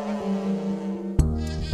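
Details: A foraging bumble bee gives a steady, low droning buzz from its beating flight wings, with faint music behind.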